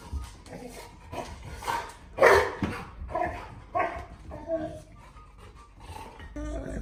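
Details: Golden Retriever. Excited to greet its owner, a Golden Retriever gives a string of strange, throaty groans and wavering whines that rise and fall like a growly moan. A person's voice is heard briefly alongside.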